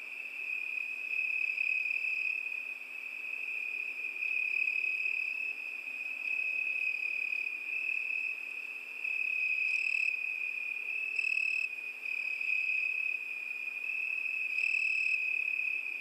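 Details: Summer-night chorus of crickets, a continuous high-pitched ringing trill, joined at intervals by brief higher chirps of another caller breaking through every few seconds.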